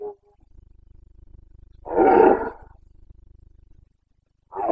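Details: Carpathian stag, a red deer, roaring in the Bucovina mountains during the breeding season, 29 September 2022: one loud, harsh, rasping roar of about a second, with a faint low pulsing hum and another roar starting at the end.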